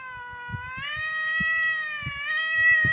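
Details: Grumpy female house cat, described as liking to grumble and easily annoyed, complains as her owner tells her to stop. It is a sustained whining meow that steps up in pitch early, holds steady and wavers near the end, with soft tapping noises beneath.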